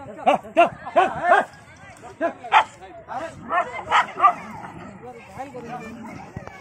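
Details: Dog, reportedly one that bit someone that day, giving a quick burst of four or five short arched barks, then a pause and a few more scattered barks, with people talking over the later part.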